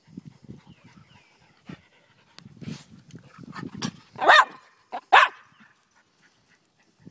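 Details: Daisy and Rose, two Miniature Pinscher / Rat Terrier mix dogs, playing fetch on April 30: soft low scuffling and panting-like puffs, then two loud, sharp barks in quick succession, with faint bird chirps behind.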